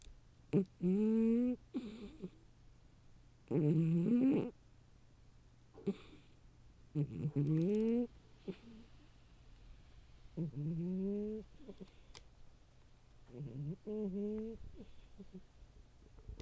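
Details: A female house cat asleep in a cardboard box, which she prefers to her proper cat bed, snores in tonal, slightly whistling breaths. Each lasts about a second and recurs every two to three seconds in a quiet room.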